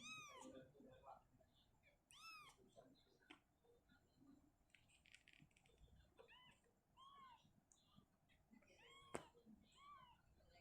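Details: Indoors, the mother cat Shizuka is uncomfortable in a cabinet and moves her kitten to an open area; scattered soft arched meows over a murmuring background, with a sharp click near the end.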